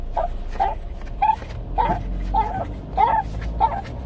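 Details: A seventeen-year-old Shih Tzu with dementia, restless at night indoors, giving a steady string of short, nasal whining yelps about every half second over a low household hum.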